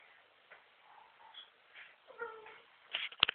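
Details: A female tabby cat gives a short, harmonic meow, followed by a few sharp clicks. Tabby cat.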